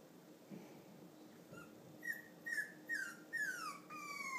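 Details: Lonely female Cavalier King Charles Spaniel puppy of clear coat colour, the only one awake with nobody to play with, indoors: after quiet breathing, five high whistled whimpers, the later ones longer and sliding downward, coming about every half second.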